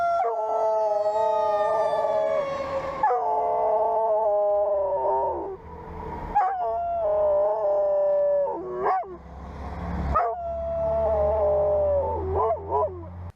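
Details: A dog howling in response to high-pitched sounds such as fire engine or ambulance sirens, which can alarm it and hint at danger. Several long, wavering howls, each bending down at the end, are broken by short yelps, over a low rumble.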